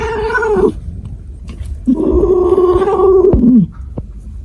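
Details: Two sustained, steady-pitched cat wails, a shorter one first and then a longer, lower howl of nearly two seconds that dips at the end, with rich overtones over a quiet background.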